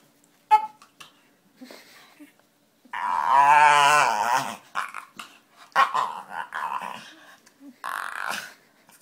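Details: Pet dog making funny noises and faces indoors: a loud, drawn-out harmonic groaning growl of about two seconds, followed by shorter grumbling and snuffling bursts, with brief clicks and quiet pauses between.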